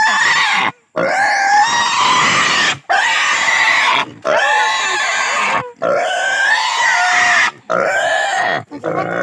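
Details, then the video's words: Native pig squealing during castration: loud, harsh, continuous high squeals in long bursts separated by brief gasping pauses, with rising and falling strained tones. "Native pig castration"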